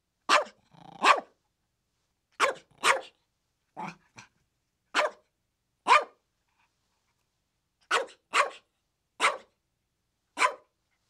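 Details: Playful chihuahua yapping: scattered high, snappy barks, some in quick pairs, a brief soft grumble among them, then a closing run of four evenly spaced yaps.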